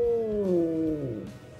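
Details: Cat (Felis catus), caterwaul: unspayed female in heat attracting mates; males answer.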